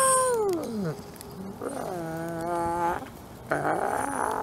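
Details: Captive-born male gray wolf, an ambassador wolf at a conservation center in South Salem, New York, howling: a long tonal cry sliding steeply downward, then held steady lower notes with rich overtones, with a second fainter voice and background noise.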